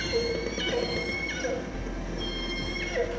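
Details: An underwater recording of a salmon-eating resident killer whale pod living off northern Vancouver Island: repeated, bending calls with bright overtones in the pod's own family dialect, under steady hiss.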